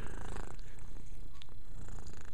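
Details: Pet cat grooming and purring, a continuous deep vibrating rumble with a few small clicks and rustles layered on top.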